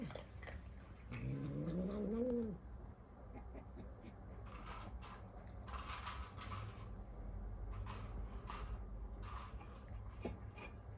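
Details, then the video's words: Bengal cat, kept indoors with a five-cat family, playing with a food puzzle toy, gives one odd drawn-out meow that rises steadily in pitch over about a second. Rustling and clattering from the toy and its play follow. "Bengal cat makes weird sound"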